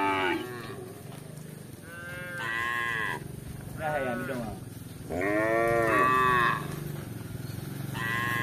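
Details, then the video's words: Tame cattle wandering through a village for grass moo repeatedly, a string of bellowing calls of varying length, some rising and falling, continuing almost without break over a low constant background hum. "Sapi Lembu lucu yang jinak di Kampung Berkeliaran mencari rumput"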